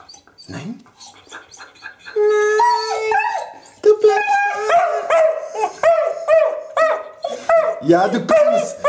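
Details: Lili, a female Eurasier dog indoors, screams and 'talks' because she wants to go out for a walk: a sustained high whine, then a run of short arched yelping cries about every half second, with faint human speech around them.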